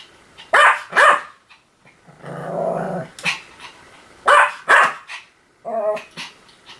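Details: Pomeranian letting out paired sharp barks, then a drawn-out low growl, then another pair of barks and a short whine-like sound.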